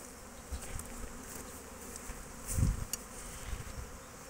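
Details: Foraging honey bees at an apiary on 12 March 2024, heard as a continuous low drone with soft fluttering; a brief louder rumble of handling noise comes midway.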